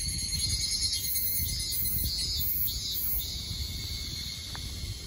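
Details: Evening cicadas (Tanna japonensis) sing in chorus in the Kanto Region of Japan on July 29, 2021, in the evening: a shrill high buzzing with pulsing phrases repeating about twice a second.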